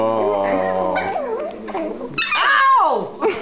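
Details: Silky Terrier puppy siblings squabbling in their owner's arms: a long whine, then sliding yelps and a falling cry near the end, with a human voice overlapping.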